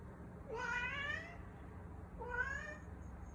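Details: Brown tabby rescue cat lounging on the floor indoors, giving two drawn-out meows that rise then fall, the second following about a second and a half after the first, in a quiet room.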